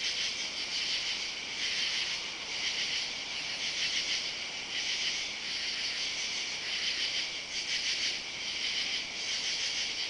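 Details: Katydids calling on a summer Saturday night, July 31, under oak trees in a side yard, recorded while walking; a dense, loud high buzzing chorus with raspy pulses swelling roughly once a second, continuous throughout.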